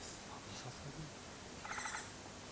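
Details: Japanese giant flying squirrel (Petaurista leucogenys) recorded at Mount Takao, Japan, on 19 August 2014, giving one short, rasping, pulsed call late in the clip over faint human voices and a constant high insect drone.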